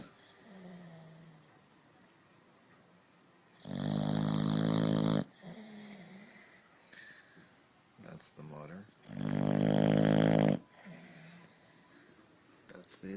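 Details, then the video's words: Dog snoring indoors, loud rasping harmonic snores roughly every five seconds with quieter breathing between; a person talks softly in the background. "Funny Dogs Snoring"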